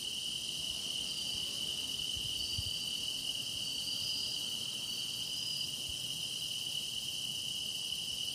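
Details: Grass insects sing a steady, high-pitched chorus: one unbroken shrill tone with a shimmering, buzzy layer above it, continuous throughout and nearly free of other sound.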